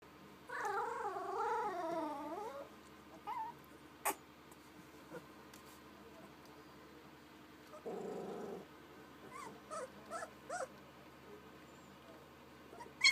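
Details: Young puppies making cute little sounds: a wavering, high whine lasting about two seconds opens, followed by scattered brief squeaks, a short low grumbling growl, then several quick high yips and whimpers against a quiet background.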